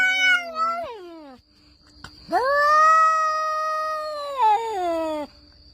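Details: Two cats in a fight, one voice giving a falling whine, then after a brief gap a long steady yowl held for about three seconds before sliding down at the end.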